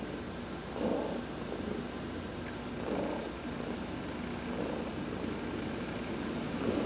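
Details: Pet cat Heidi receiving a massage while sunbathing on November 19, 2020, purring contentedly; breathy purr surges come about every two seconds over a continuous faint background drone.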